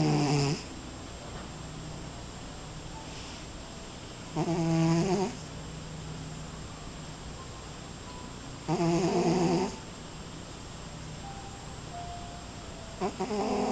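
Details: A cat sleeping in a glass snores, with loud harmonic snorts roughly every four and a half seconds and quiet breathing between them, indoors.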